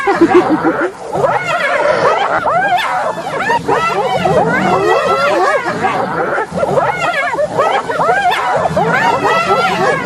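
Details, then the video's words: Dense hyena chorus of many overlapping swooping and cackling notes, arched calls crowding one another without pause, from what sounds like a sizeable group calling at once. "صوت الضباع"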